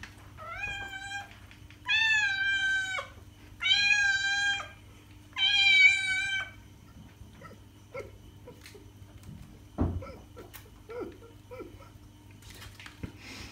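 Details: Cat meowing to attract cats: four loud, even meows about a second long in the first seven seconds, then quieter scattered clicks, taps and rustles with no further calls.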